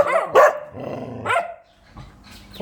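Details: Fierce dog giving two quick barks, then a low, rumbling growl-like sound that fades out before a faint final bark.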